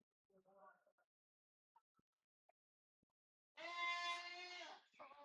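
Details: Lone goat in a village, left behind by its herd, gives one loud, drawn-out bleat of about a second and a half, rich and nasal, after quiet Javanese speech and a few soft knocks.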